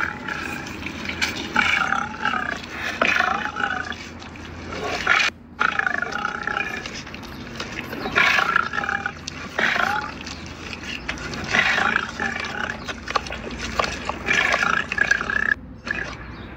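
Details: A lion feeding at a wildlife park in Ras Al Khaimah gives a long run of gruff snarls and growls, repeated every second or two with short breaks, over a steady background hiss.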